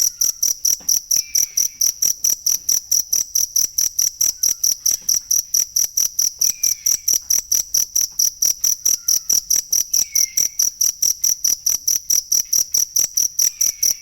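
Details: Cricket sound meant for teaching songbirds: a continuous train of bright, high-pitched chirps at a steady pace of about four per second, with occasional faint short whistles in the background.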